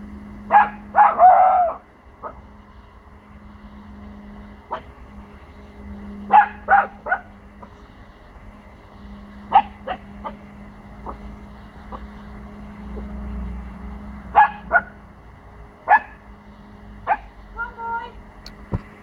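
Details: Four-month-old Pomsky puppy barking to protect his territory, unsure of sounds from the neighbours' house; short sharp barks in irregular clusters of two or three, with a steady low hum underneath.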